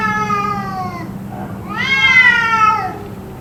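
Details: Domestic cats yowling at length, possibly fighting, in a drawn-out exchange said to have lasted about two hours: a long falling wail, a pause, then a louder rising-and-falling harmonic howl.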